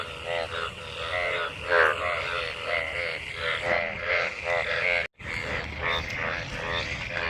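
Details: Many frogs gathered in monsoon rainwater during mating, giving a dense overlapping chorus of buzzy, harmonic croaks with a higher ringing note running through, briefly cut off near the end.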